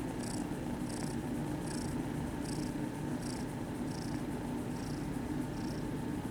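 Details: Purring kittens being petted at a cat cafe; a constant low rumble with soft airy hiss pulses recurring about every 0.7 seconds, in time with breathing.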